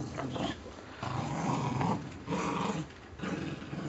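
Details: Indoor tug of war between pet Puggles Scarlett and Spike over a stuffing-less toy squirrel; a rough low growl swells in three or four surges, each lasting under a second, separated by short quiet breaks.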